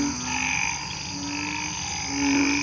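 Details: Frogs and small frogs calling together in a hospital garden at night after rain: drawn-out droning notes near 250–300, layered with a steady higher hum, several callers overlapping.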